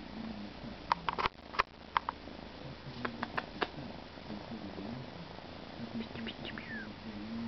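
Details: Male Siberian kitten purring, a soft low steady rumble under light hiss, with several sharp clicks and taps scattered through.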